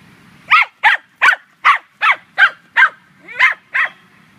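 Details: A female Scottish Terrier named Munchkin barks while hunting squirrels at a dog run, 9 May 2013. About nine harsh, sharp barks follow one another quickly in an unbroken volley.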